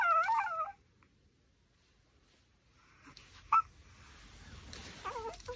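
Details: Pomeranian chewing a raw pork backbone lets out a wavering, high whimper that rises and falls quickly in the first second, then small clicks and chewing noises, with another brief whine near the end.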